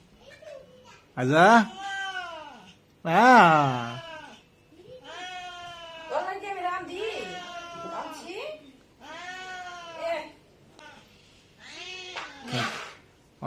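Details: House cat eating meat it pulls with its paw, giving loud arched meows that rise then fall, two strong ones early and fainter drawn-out calls later, mixed with people talking and laughing indoors.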